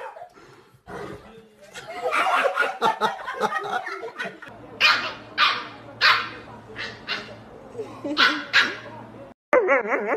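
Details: An angry dog barks in a quick series of sharp, harsh barks, roughly one every second. A person speaks at the start and a low hum runs underneath.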